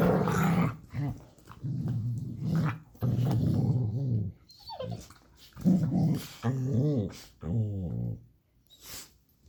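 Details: Dog growling during play with a person, both making funny noises indoors: rough low rumbling growls in several bursts, then a few rising-and-falling whiny harmonic sounds near the end.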